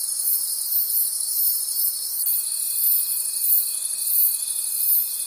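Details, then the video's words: Crickets call together at night in the forest, a bright high trilling mass pulsing rapidly and evenly; about halfway through, a clear sustained tone starts and holds to the end. "Forest Sounds and Cricket Conversations at Night"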